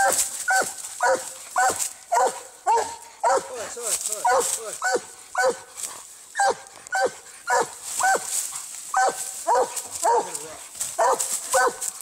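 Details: Barks from a Treeing Walker Coonhound battling a raccoon come in a fairly even rhythm, about two each second, each short and ringing with strong harmonics, while a high steady hiss persists underneath.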